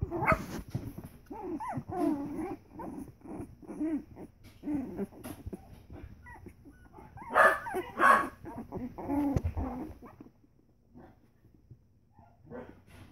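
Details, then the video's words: Three-week-old Pembroke Welsh Corgi puppies playing together, giving a busy string of high whiny yelps, squeals and short yips in quick irregular bursts, with louder cries around the middle, then fading to quiet near the end. "Pembroke Welsh Corgi puppies playing"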